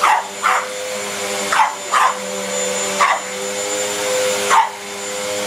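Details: Pug scared of the vacuum barks at it, giving single and paired sharp barks about every second or two against the constant droning of the running vacuum cleaner.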